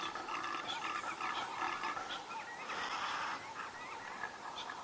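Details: At dawn on 29 April 2017 on an African safari drive, a horned male impala in rut, near a hornless female, gives rapid, rasping grunts and snorts as other males answer, over a steady outdoor hiss.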